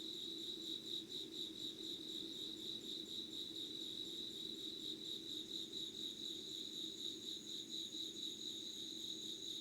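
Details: Insects calling at 5:00 on 25 August 2019 in Yugawara, Kanagawa, Japan, an unedited recording: steady high shrill trills layered in two bands, with a fast pulsing beat. A softer low hum runs underneath.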